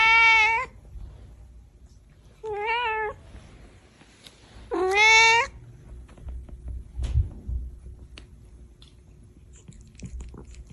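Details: Cat with a kitten giving three clear meows, each under a second, spaced roughly two seconds apart, with a quiet room and faint thumps between calls.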